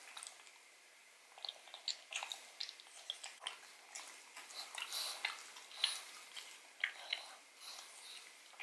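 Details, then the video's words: Pug named Odin eating bone marrow from a bone, recorded close for ASMR: rapid sticky smacks and gnawing clicks, denser after the first second and a half, sharp bright snaps near the middle and end. "ASMR Dog Eats Bone Marrow [Pug/Mukbang]"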